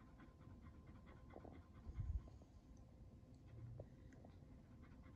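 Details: Kumo the Keeshond and Sully the Boston Terrier playing with and munching on a Chicken and Waffles toy indoors; soft, quick breathy panting in short bursts over a low rumbling background, with faint chewing clicks.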